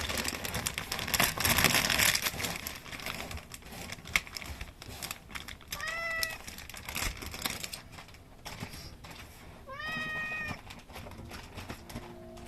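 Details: Outdoor cat meowing while seven rescued kittens freeze and stop moving: two clear, drawn-out tonal meows a few seconds apart, each slightly rising then falling, over rustling, shuffling indoor noise.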